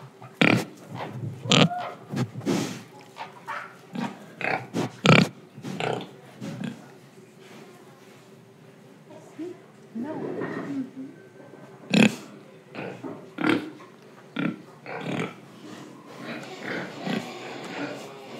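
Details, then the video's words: Pig in Indonesia, recorded while breathing and eating: rapid clicking and smacking chewing noises mixed with short low grunts, busy at first, then sparser with a few louder snorts and soft background rustle. "Pig Sound Effects Oink Oink, Breathing & Eating"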